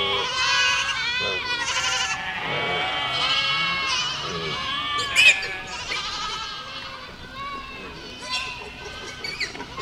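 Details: Many goats walking together through a village, a dense chorus of overlapping high wavering bleats, busiest early on and thinning toward the end, with a brief sharp knock midway.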